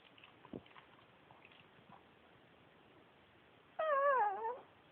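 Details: Male Pekingese Yuyu, a former shelter dog, 'talking': after soft faint rustles, a single wavering, warbling whine with strong harmonics that slides slowly downward and fades after nearly a second.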